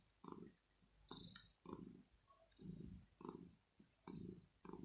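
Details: Early-morning purring from a male kitten wanting to be cuddled and petted, perhaps also hungry; deep throbbing purr rising and falling in short bursts, roughly one cycle per second, with faint higher snuffly sounds between them.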